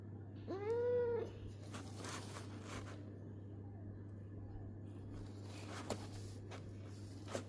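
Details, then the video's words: A domestic cat humming gives one clear, tonal, arched meow lasting under a second near the start, followed by quiet low background hum and a few soft clicks. "I like the sound of my cat humming."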